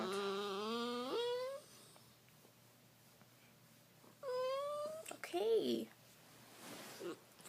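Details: Trixie the cat indoors making her signature weird noises: a long, drawn-out wail that rises in pitch near its end, a pause, then a second shorter rising wail and a brief strained squeak in a small quiet room.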